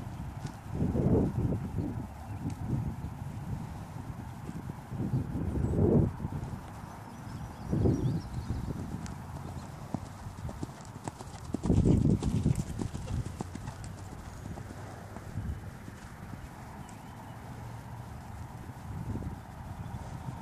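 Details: Hooves of a Dutch Warmblood horse pounding low and muffled in uneven bursts, swelling loud then fading every few seconds, roughly three beats a second, over a steady background hum.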